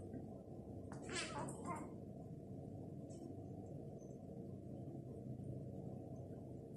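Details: Egyptian stray mother cat and kitten wander into an apartment after a meal; a single drawn-out meow in two bursts rises above a constant low room rumble, then quiet hum follows.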